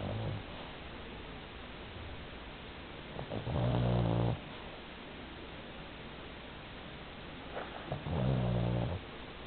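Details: An 11 kg Pomeranian snoring in its sleep, the owner comparing it to an old man: two deep, droning snores about five seconds apart, each a second long, over quiet room hiss with faint breaths between.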